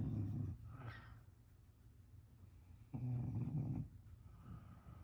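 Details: Sleeping English Bulldog snoring: two low, rough, throaty rumbles, the second lasting nearly a second, separated by quiet breathing pauses.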